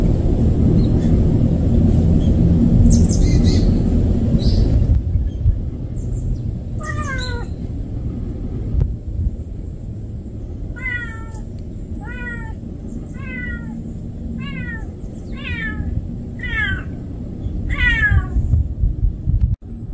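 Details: A stray kitten that cannot live without its mother cries in a run of about ten short, high meows, each bending down in pitch and coming roughly once a second. Steady low rumbling noise runs underneath.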